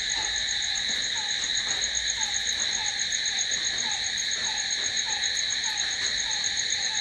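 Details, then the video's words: Cricket sounds of the night: a bright, continuous high trill with no gaps, accompanied by soft lower chirps that fall in pitch and repeat about twice each second. "Cricket sound🦗🦗🦗to sleep... Try it.... Night's in hands of cricket"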